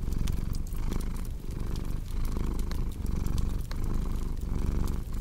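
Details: Low, throaty purring from a house cat, rising and falling with each breath in a steady rhythm, accompanied by light crackling of a fire.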